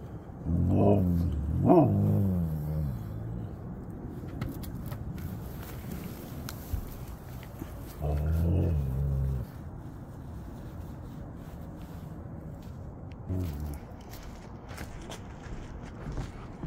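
Siberian Huskies let out deep, wavering howls and talkative yowls that rise and fall in bursts a few seconds apart, greeting their returning owner. A person's voice and some background noise are also heard.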